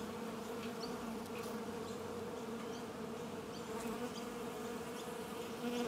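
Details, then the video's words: Continuous buzzing of many bees, a dense even hum with strong low tones that stays constant throughout, with occasional brief brighter flicks as individual insects fly close. "Прекрасное жужжание пчёл # Beautiful buzz of bees"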